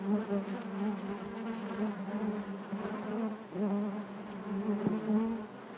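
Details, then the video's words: Steady hive hum of honey bees, a low buzzing drone with overtones that waxes and wanes in uneven swells, a brief tap heard near the end. "bees therapy hive natural buzzing sound"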